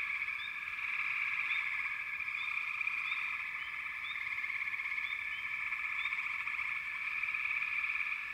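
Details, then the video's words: Continuous backwater frog chorus, steady banded trilling with brief upward chirps from single frogs every second or so. "FROGS - Pig Frogs, Water Frogs, Backwater Chorus, & Frog Chorus"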